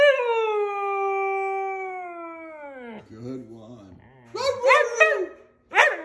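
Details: A Siberian Husky howling along with his owner gives a long, smooth howl that slowly falls in pitch, then breaks into shorter, wavering yowls.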